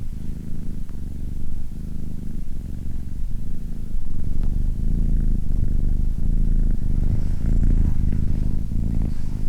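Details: A purring cat, deep throaty vibration pulsing in regular breath cycles roughly every 0.8 seconds, starting quieter and growing fuller after the first few seconds, with a faint click near the middle.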